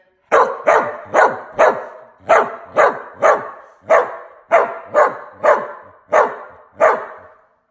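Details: A dog answering back after being told to sit: a steady series of fourteen sharp, mid-pitched barks spaced roughly half a second apart, with no other sounds.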